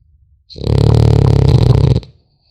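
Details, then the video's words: One sustained, buzzing, low snore of about one and a half seconds from a French Bulldog puppy while it sleeps, steady and rattling throughout. "Храп щенка французского бульдога"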